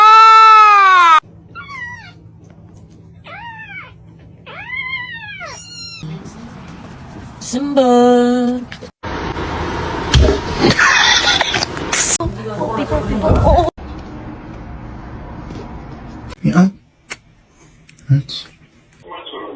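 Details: Kitten meowing, a series of arched, bright meows repeated every second or so, then a harsher, drawn-out cry. Crackling noise, laughter and voices follow in a cat compilation.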